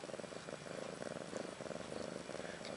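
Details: Brief purring near a mother cat, Ashley, around a year old, and her two female kittens Maggie and Rose, born March 30th 2013; fast rhythmic low pulses, loud and steady.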